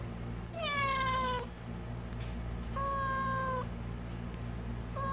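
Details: Stray cat Kkamangi, in good health despite sweltering summer heat, meows three times: a long sliding cry, then a level, even meow and a short clipped one, against a constant low droning background.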